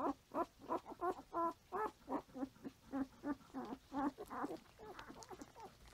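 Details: Five-day-old Standard Poodle puppies, nursing on their mother and crawling, make brief, squeaky whines and grunts about three times a second. The calls overlap slightly and fade toward the end. Filmed 6/8/14.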